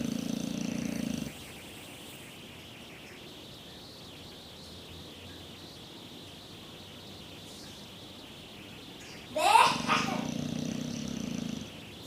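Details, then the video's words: English Bulldog asleep and snoring, a coarse low rasp at the start, then a long hushed pause, a sudden sharp clatter, and another drawn-out snoring breath of nearly two seconds. "Bulldog ingles roncando"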